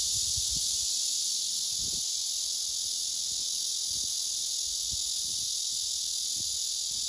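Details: A male blackish cicada gives a loud, steady, high buzzing courtship song without a break, singing to an unresponsive female below him on the tree.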